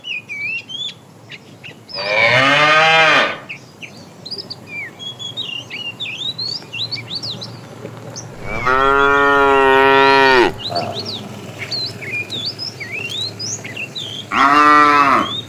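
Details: Tame cows walking neatly along a road looking for food; three loud, rich moos of one to two seconds each, spaced several seconds apart, over a steady background of small birds chirping.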